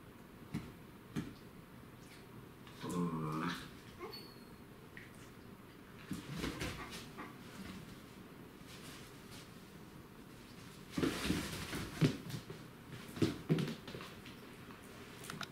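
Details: A dachshund waiting patiently for its playmate to wake up gives soft, wavering whimpers and short whines, spaced out between quiet stretches.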